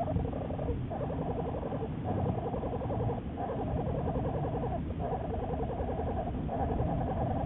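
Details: Juliet, an American black bear studied by Wildlife Research Institute biologists, recorded March 1, 2014: a rapid, buzzy, pulsing hum in steady bouts of about one and a half seconds, broken by short pauses, over a low rumbling background.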